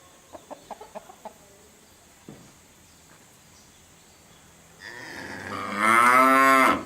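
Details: Domestic cow that is sick and has been injected, letting out one loud, rough, rising moo at the close, after a few sharp clicks and knocks and a thin high hiss in the background.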